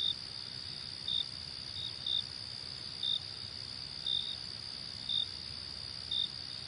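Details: Crickets sing a continuous high ringing buzz, with crisp short chirps repeating close to once a second, around seven over the stretch. The setting is calm with no other noise.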